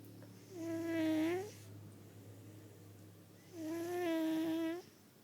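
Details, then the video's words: Sleeping fat cat, male, snoring loudly in a small indoor room; two steady, buzzy inhaled snores about three seconds apart, layered with harmonics, over a low constant hum. "Fat cat snoring loudly!!"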